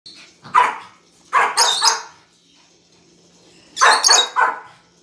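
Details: A Pomeranian gives sharp, high yapping barks in quick clusters of two or three, sounding frightened at a 'weasel', apparently a pet toy.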